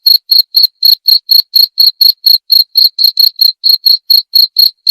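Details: A cricket chirps in quick, even pulses of a sharp high tone, some pulses doubled, with nothing else audible; meant as soothing sleep therapy and a sound to chase off mice.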